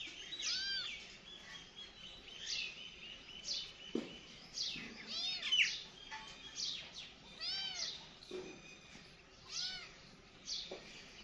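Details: Several kittens give repeated high-pitched meows, each a short rising-and-falling arch, roughly every one to two seconds, some calls overlapping, with a few soft thumps between them.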